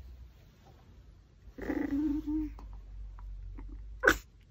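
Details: Pomeranian with a raw pork backbone lets out one steady, nasal whine of about a second, followed by faint chewing clicks and a sharp sneeze-like snort.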